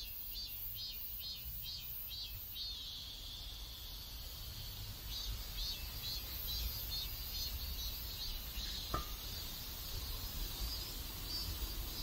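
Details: Cicadas singing in a neighborhood in South Korea: a high, pulsing buzz swells and fades in rapid regular bursts for the first seconds, then settles into a steady shrill drone, with low rumbling background noise and one brief click.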